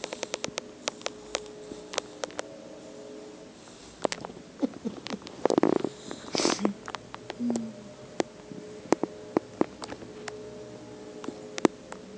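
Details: A sleeping 12-week-old male bulldog-pit bull mix puppy gives soft whimpers, snuffles and brief huffing breaths while napping, dreaming and chewing.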